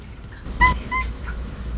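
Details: Snowshoe cat Darjeeling, adopted at seven weeks and unable to meow like an ordinary cat, chattering to converse with his owner; two brief, clear tonal chirps about a third of a second apart, in a quiet room.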